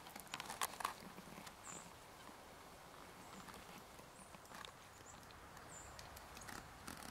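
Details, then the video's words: A shrew, on a second visit after the year's first named snowstorm, gives about five faint, very high, thin peeps spaced over several seconds, among soft rustling and clicking steps. "Lil Shrew Peeps-alot"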